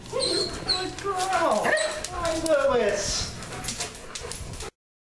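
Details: German Shepherds, including the female Sasha, whining in excitement as their owner returns home; wavering, bending whines and short yips mixed with human speech, ending abruptly.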